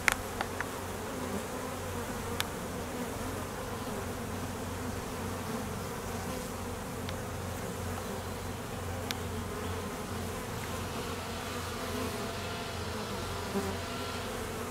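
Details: Honey bee apiary at midday during peak summer honey flow, foragers active and drones flying to mate; a constant low humming buzz of many wings, broken by a few light knocks and clicks.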